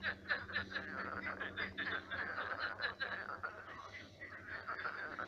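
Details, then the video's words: Frogs crowded in a drying pond-turned-swamp at night, croaking together: rapid chuckling croaks repeated about four times a second, overlapping into a thick chorus over a faint low hum. "Кваканье лягушек. Лягушки квакают."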